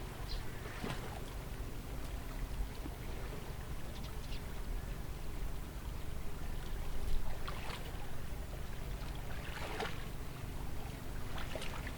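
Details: Steady rushing river water with scattered splashes and sloshing, a low rumble underneath, and no animal voices.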